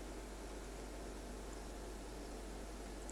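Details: Steady broadband hiss fills an indoor room, with faint rustling and a low hum underneath and no animal voice at all.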